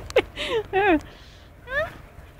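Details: Two dogs at rough play, Punky the two-year-old poodle and a four-month-old wolfdog puppy: a few short whining yelps with wavering pitch, the first sharp, then two bending whines and a final rising whimper.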